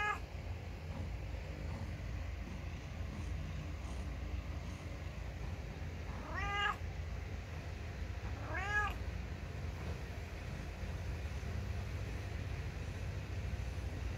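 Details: Ginger domestic cat meowing, perhaps complaining: two drawn-out, harmonic meows about two seconds apart, each rising then falling, over a steady low rumble of background noise.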